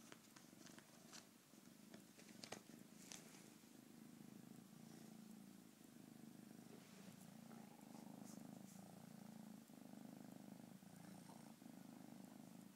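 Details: Kitten purring continuously, a low steady rumbling throb with faint broadband rustles and occasional soft clicks over it.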